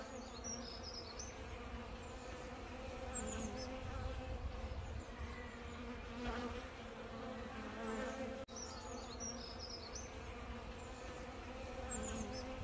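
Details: UK honey bees crowd a bottle of sugar-water mix to feed. A dense, continuous buzz with banded low hum runs throughout, and short high bird chirps appear now and then; a brief dropout occurs midway.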